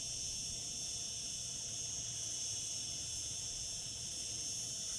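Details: Summer cicada chorus: a continuous, even, sizzling high whine holding constant throughout, with no pauses and only slight low background hum.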